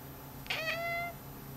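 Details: House cat watching an on-screen cursor, uttering one drawn-out meow with a bright onset that settles into a level, evenly held tone for about half a second; constant low electrical hum in the room.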